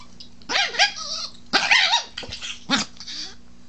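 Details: Protective pet Chihuahua that gets angry when a man talks to it or tries to touch his wife: three harsh snarling bursts of growl and bark, roughly one a second, with a quieter growl trailing between them.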